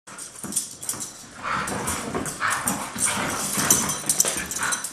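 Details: Two Siberian Huskies, best friends, playing hard together, not fighting; repeated whiny yips and grumbling vocalizations rise and fall over scuffling and rustling noise.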